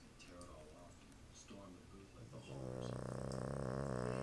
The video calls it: Our boston terrier snoring